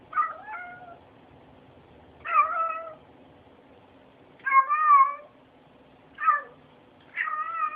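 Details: Domestic cat meowing indoors, five short chirping meows spaced about two seconds apart, each with a quick wavering pitch, in a quiet room.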